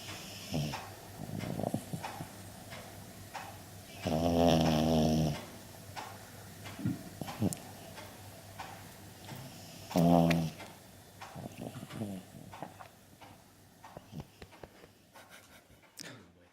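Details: Pet dog Frisco asleep indoors and snoring after a busy tree planting party at the farm: two long, loud, rattling snores about six seconds apart, with softer, shorter breathy snorts between them in a quiet room.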